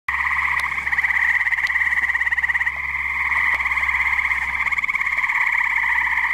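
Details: Tree frogs chorusing at a pond on a muggy night in New Jersey: a dense, continuous overlapping pulsed trill with two bright bands, one lower and one higher, and a rapid throbbing rhythm with no pauses.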